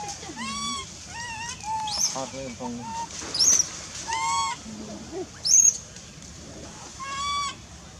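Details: Wild baby monkey in forest at Angkor Park, crying loudly to call its mother while hungry: wavering, harmonic wails repeated every second or so, broken by sharp high squeals, with faint human voices behind.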